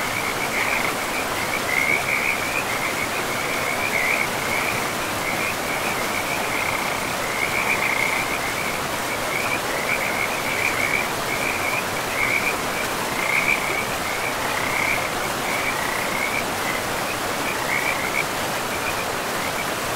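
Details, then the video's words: Frogs calling beside a forest river among moss-covered land, a continuous chorus of quick rattling croaks in short bursts throughout, layered over a constant hiss of rushing water. "River and Frogs sleep sounds"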